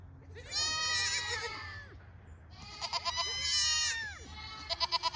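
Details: Pygmy goats bleating on a Knoxville, Tennessee farm: two long, strained, wavering cries, each lasting over a second, followed by a rapid string of short stuttering bleats at the end.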